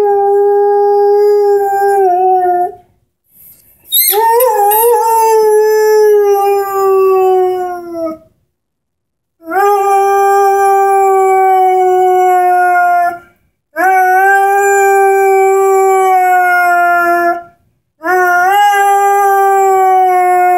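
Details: Sustained singing howls from Henry, a 10-month-old Airedale Terrier with his orange squeaky ball, in long steady tones of about three to four seconds each, some starting with a sharp upward slide, separated by brief silences.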